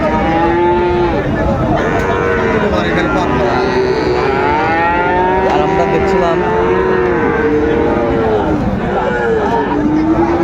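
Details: Sahiwal bull calves for sale at Raniganj cattle market, Dinajpur, 19 August 2024: several overlapping moos, many bending up then down in pitch, calling almost without pause over steady crowd chatter and market noise.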